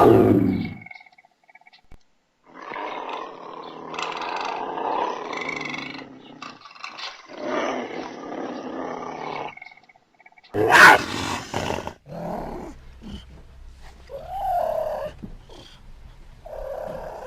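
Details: Puma giving a series of harsh, rasping growls and hisses, several seconds long and separated by short pauses, with one sharp, loud burst near the middle and a softer, more tonal call toward the end.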